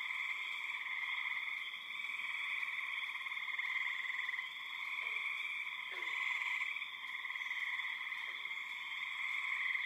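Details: A loud massed chorus of spring peepers with many other frogs, birds and insects: steady shrill trilling in several high layers, gently pulsing in volume, with a few faint short downslurred notes from another caller behind.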